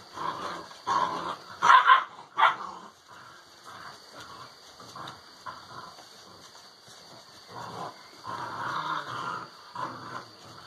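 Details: Alano Español puppies, six weeks old, play-fighting in a kennel as their social behaviour develops; rough growling with a burst of loud barks early, then continuing lower grumbling growls.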